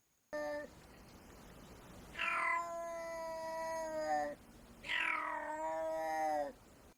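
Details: A black-footed cat, a shy, nocturnal, burrow-dwelling African wild cat, gives two loud, drawn-out yowling calls, each opening with a sharp falling note, its typical vocalisation.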